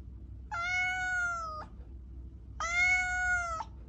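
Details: Domestic cat meowing: two drawn-out, level, harmonic-rich meows, each about one second long, separated by a short pause, over a faint low background hum.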